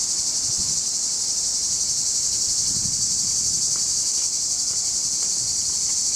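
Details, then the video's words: Male cicadas singing in July 2020 near Larissa, Greece, recorded on a Panasonic HC-X900 camcorder in surround: a continuous, dense, high-pitched buzzing drone holding steady throughout, with faint low rustling underneath. ""singing" of male cicadas"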